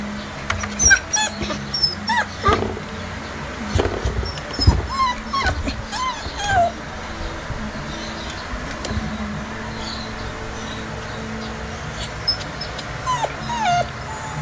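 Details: Female Japanese Spitz whimpering: thin, high whines that bend up and down, scattered over the clip with a few short yips, against steady background noise and low rumble.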